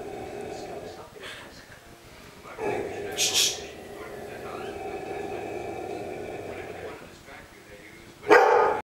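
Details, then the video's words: A Rottweiler gives a few deep, sharp barks at an unfinished painting of himself, over a low, drawn-out rumbling sound. "Rottweiler barking Orkanens Muscle Machine"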